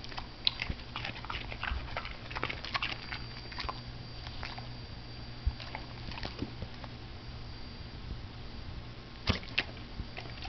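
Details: Indoors, a pet dog (she) crunches on broccoli, with irregular sharp bites and wet chewing spread across the clip, a louder snap near the end, and a faint constant hum beneath.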